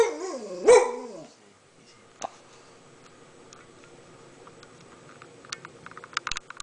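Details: Pet dog Joey indoors, alert because someone seems to be at the door, gives one drawn-out, wavering, whine-like bark lasting about a second. A quiet room with scattered clicks and small knocks follows.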